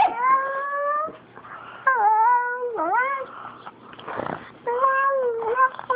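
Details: Fawn pug teased by a black pug, making funny moaning whines likened to a Wookiee: drawn-out harmonic wails that rise and fall, in several one-second bursts separated by brief pauses and a scratchy noisy patch.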